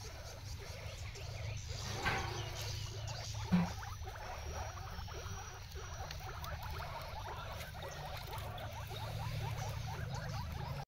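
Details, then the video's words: Pet guinea pig eating an unfamiliar grass; soft, steady crunching and rustling of chewing over about eleven seconds, with a low background hum and one brief louder knock partway through. "bọ ú cute ăn cỏ lạ"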